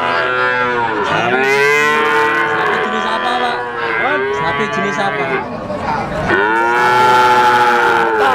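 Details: Young Simmental, Limousin and Pegon calves about three months old, up for sale, give loud, bright, harmonic moos that bend upward and down again, three long calls in a row with short gaps.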